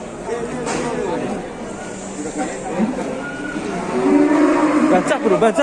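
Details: Big cattle unloaded in Indonesia give a short nasal moo near the end, nearly buried under men talking, music and a noisy crowd throughout.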